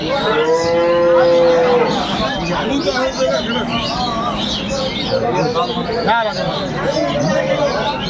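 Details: Cows with calves for sale at Aftabganj market, Dinajpur, Bangladesh, 9 December 2025; a long steady moo opens, followed by shorter bellows amid busy crowd noise and speech.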